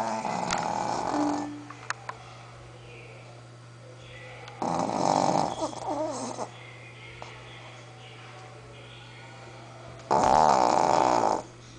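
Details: Pet Shih Tzu Sophia snoring while she sleeps: three loud, harsh snore bursts at uneven intervals, separated by long quiet stretches with a low constant hum and a few soft clicks and breaths.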